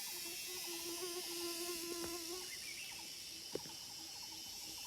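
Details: In the forest of Phu Foi Lom, Udon Thani, cicadas keep up a dense, high, hissing drone; lower warbling pulsed trills and a sustained hum weave underneath, with one sharp click near the end.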